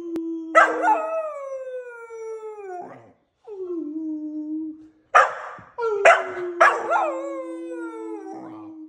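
A kelpie puppy howls in long, wavering notes that slide downward and trail off.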